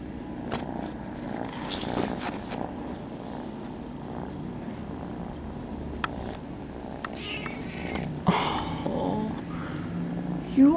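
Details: Friendly kittens at a cat cafe purring for attention, a soft continuous low rumble under handling rustles, with a louder scuffle near the end.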